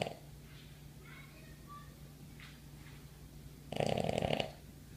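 A Boston Terrier lets out one harsh, rattling snore, a brief burst of rough breath noise near the end. Before it, only a low steady room hum and faint soft breathing are heard.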